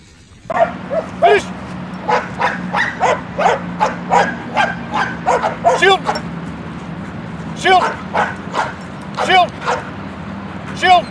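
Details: German Shepherd barking in quick runs of short, sharp barks, about two or three a second, pausing briefly near the middle before resuming; a steady low hum and human speech run underneath.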